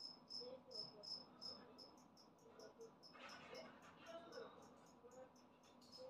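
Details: Newly emerged adult two-spotted cricket giving loud, high chirps in short bursts about three per second, broken near the middle by a brief spell of rustling noise, with faint low background hum.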